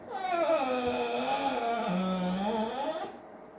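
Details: Female dog locked in her cage indoors, wanting badly to be let out, gives one drawn-out tonal whine-like moan of about three seconds that wavers, then dips lower near the end.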